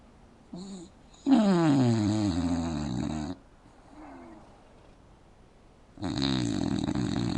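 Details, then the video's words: Indoors on a couch, an English Bulldog sleeps with mouth open and snores loudly. A brief soft snort is followed by a two-second rumbling, buzzy snore, a faint breath, then another loud rasping snore. "Adorable bulldogs snores with its mouth open"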